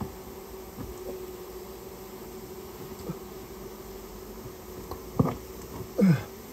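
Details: Japanese honey bees humming inside a storehouse while their nest is removed on request; a level buzzing tone continues under scattered knocks, with louder thumps and a scraping sound near the end.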